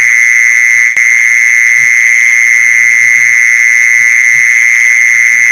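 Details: Mole cricket churring used as a lure, a monotonous continuous trill at steady volume with a faint higher band, a single sharp click near the start and soft low pulses below.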